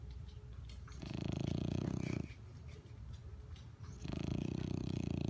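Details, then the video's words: Asleep, a dog snores in two long, deep, rattling inhalations, each about a second or more, with finely pulsed low texture and quieter breathing between them. "Snoring Dog"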